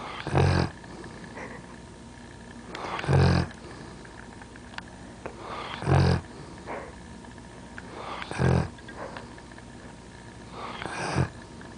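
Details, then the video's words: Pet dog asleep and snoring indoors: deep, rumbling snores in loud bursts about every two and a half seconds, five in all, with quiet breathing between them. "My Dog, Chewy Snoring"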